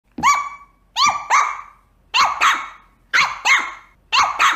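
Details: Small dogs, a Papillon, a Chihuahua and a Yorkshire Terrier, give sharp, high-pitched yapping barks, often in quick doubled bursts.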